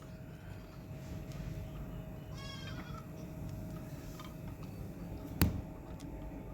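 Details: Kodi goat at Aparna goat farm in Karisalkulam near Kovilpatti, Thoothukudi district, where pregnant Kodi goats are kept for sale; one brief, faint, quavering bleat about midway, rich in stacked harmonics, heard over steady low background rumble.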